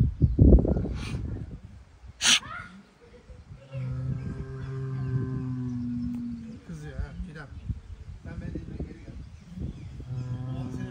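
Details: Angry Angus bull asserting that he is the boss, giving a deep, steady, drawn-out bellow lasting about three seconds, then a second lower, rougher call near the end; people talking in Turkish and a sharp knock come before the first bellow.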